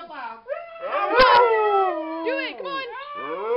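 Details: Siberian Husky howls for the Whistler 100 vigil, several overlapping wavering howls rising and falling in pitch, mixed with yips and a brief human voice.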